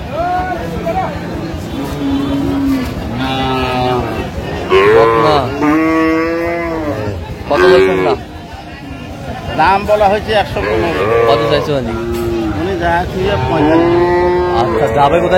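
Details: Crowded Aftabganj cattle market in Dinajpur, Bangladesh, 17 June 2025, with dairy cows and calves of an improved breed: repeated short, arching moos from several animals come every second or two over constant human chatter.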